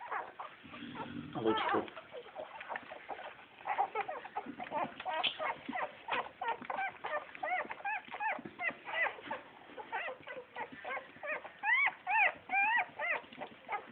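Bull Terrier puppies whimper and whine in rapid, overlapping high squeals.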